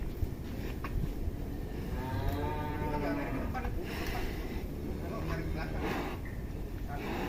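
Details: Giant cattle in Indonesia, 2022: a single drawn-out, low moo rises out of heavy, rumbling pen noise midway through, with thuds and clatter around it.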